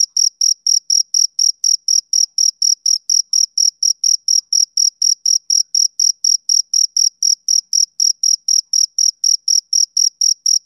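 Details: Steady summer-evening chirping of a male cricket, bright clipped notes evenly spaced roughly four per second across the whole stretch, clean and uninterrupted by any other noise.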